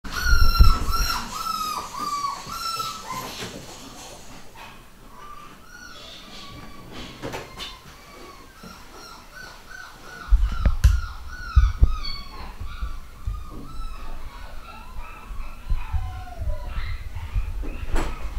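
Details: Nine-week-old pedigree Fox Terrier puppies from a home-bred litter give high, repeated squeaky whines and yelps that bend downward, coming in quick bursts indoors, with a louder stretch of low thumps and handling noise in the second half.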